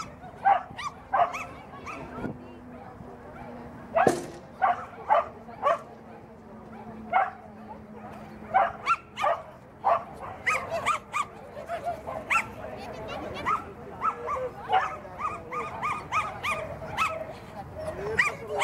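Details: Welsh Terrier barking at a mini grade 3 agility course in Reus, 9 December 2018; short sharp barks come in quick bursts with uneven gaps, over a steady background hum and some voices.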